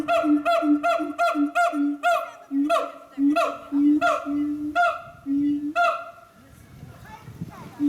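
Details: A siamang at Chiba City Zoo, Japan, gives a rapid run of loud, nasal, honking hoots, about two each second.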